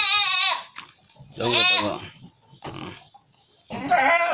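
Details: {'caption': 'Goat said to be sick with flu and cough; three loud, nasal, quavering bleats, the first high and shaky, the second lower and rougher, the last brief, separated by quieter pauses with faint rustling.'}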